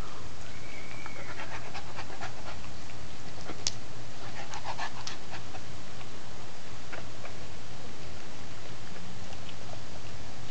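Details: A Great Dane/St Bernard mix named Cerberus gnaws a dog pretzel inside, soft rhythmic panting under sharp, scattered chomping clicks, clustered near the middle, then quieter breathing and low hum.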